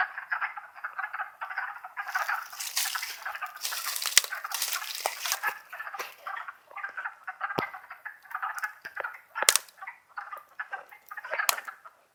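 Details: Wood frogs calling together in Longkill Woods during spring, April 2014. A continuous clucking chorus runs throughout, interrupted by loud bursts of rustling noise and sharp cracks.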